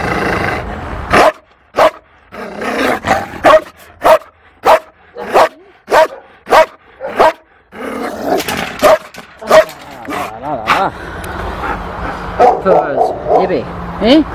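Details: Fearful female Malinois at the Toulouse SPA, April 2014, barking in a quick regular series, then breaking into irregular barks and wavering whines over background voices and handling noise.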